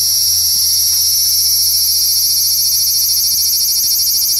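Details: Large brown cicada singing from a tree branch in a park just after 6 pm in the evening, walking slowly while calling. A loud, steady, high sizzling buzz with fast pulsing runs unbroken throughout, with a low hum beneath.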